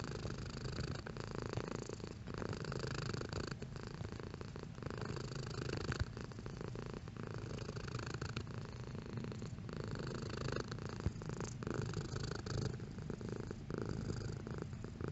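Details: Cat purring at changing strength, a long unbroken low rumble with rhythmic surges on inhale and exhale, a couple of faint clicks along the way, close and intimate with no other noises.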